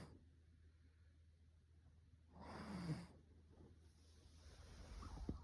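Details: A single rough snore from a Russian Blue cat midway through, followed by a softer drawn breath and a steady low background hum.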